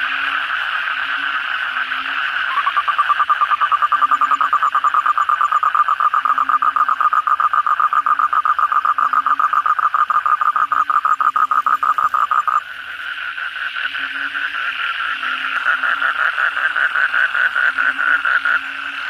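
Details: Kodok bangkong chorus at night after heavy rain: a dense, continuous rattling trill of many calling frogs, with softer low croaks repeating beneath, dropping briefly then resuming fuller.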